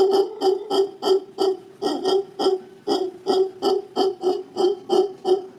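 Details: Howling howler monkey filmed in Guanacaste, Costa Rica; males howl mostly to mark territory and be heard through the canopy. Continuous rhythmic series of deep, buzzy, resonant pulses repeated roughly three times a second throughout.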